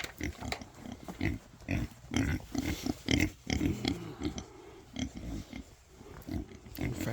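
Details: Female Kunekune pigs on a farm during morning feeding, about to get fresh water; rapid, low, throaty grunts come in quick irregular bursts while a person talks nearby.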